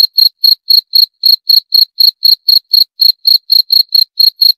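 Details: Steady cricket chirp: shrill, high, pulsed bursts, about four per second in a slightly uneven but persistent rhythm, against a completely quiet background.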